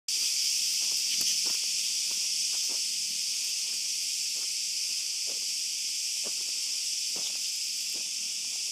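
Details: Cicadas calling at night in an olive grove during a dog walk: a dense, unbroken high buzzing hiss holds steady throughout, with soft footsteps crunching at irregular intervals underneath.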